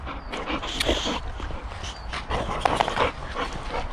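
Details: Boxer puppy Sammie tussling with an adult Boxer in rough play, giving short whiny yelps and grumbling growls in two clusters, with scuffling noise underneath.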